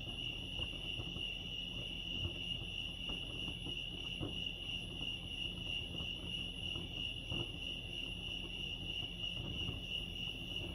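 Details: A continuous, even cricket trill rings high and bright at Lake Arrowhead, California, steady across the whole stretch, with scattered faint clicks and a soft low rumble underneath.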